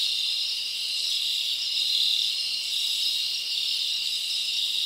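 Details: Crickets chirping together at night in the summer forest, blending into a steady high-pitched hiss that swells and fades slightly, with no clear separate chirps.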